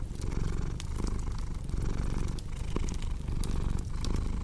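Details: Domestic cat purring steadily, a deep continuous rumble with pulses that rise and fall with its breathing, mixed with crackling fireplace pops and snaps for a relaxing sleep soundscape.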